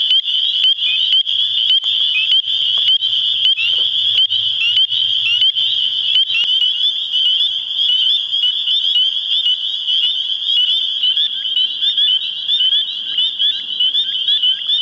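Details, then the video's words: Mating spring peepers in springtime New Hampshire form a loud, unbroken high-pitched chorus of overlapping upslurred peeps, with a faint low hum in the first six seconds beneath the piercing frog calls. "spring peeper mating call"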